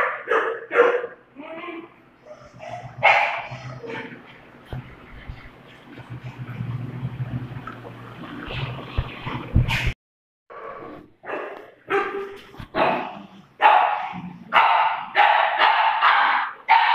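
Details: Two dogs, a Doberman and a pug, playing: a busy run of short yips and barks, roughly one per second, with a noisy scuffling stretch in the middle before the rapid calls resume.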